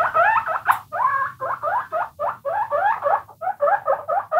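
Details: Several domestic guinea pigs squeaking: a steady run of short, rising, wavering squeaks, roughly five per second, with faint low rumbling underneath.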